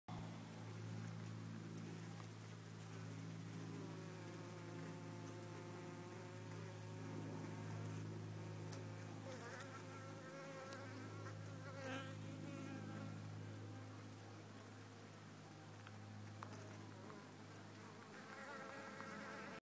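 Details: Honey bees crowding on a hive frame, recorded on a phone: a steady, dense droning hum with a low fundamental and many stacked overtones, unbroken throughout, with faint handling rustles.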